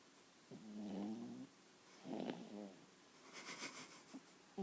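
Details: A 7-month-old puppy named Jojo snores in its sleep with two droning, buzzy snores about a second long, spaced a second apart. Soft rustling and faint clicks follow at the end.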